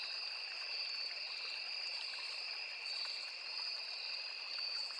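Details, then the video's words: Crickets along a small forest river producing a sustained shrill whine with a sparkling, pulsed upper tone and a lower steady hum, backed by soft trickling stream sound. "Crickets, Cicadas, Insects"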